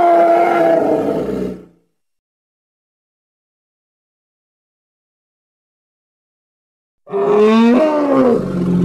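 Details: Congo hippopotamus giving two loud calls separated by silence: a fading harmonic groan, then a wavering, honking bellow with rising and falling tones.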